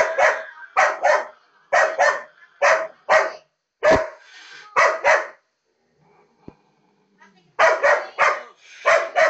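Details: Female labrador retriever reacting to a cat on a computer screen with rapid loud barks, roughly two per second in bursts, a brief pause with faint sounds, then another volley of barking.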